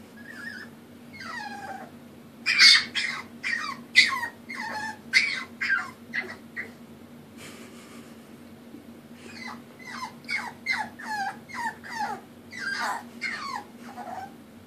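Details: Molina, a puppy, cries because she needs help going up the stairs; high, wavering whimpers and squeals in bursts, falling and rising, with a steady low hum in the background.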